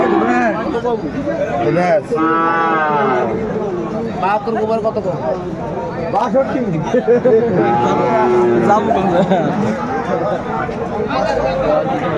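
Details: Sahiwal cattle at a Bangladeshi livestock market in Kurigram: two rich, drawn-out moos, one early and one midway, rise above heavy crowd noise and men talking close by.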